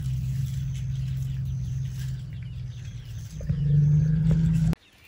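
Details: Low purring rumble from an elephant at night just outside a tent in Tarangire National Park, Tanzania. A continuous deep drone holds for nearly five seconds, swelling louder near the end before stopping abruptly.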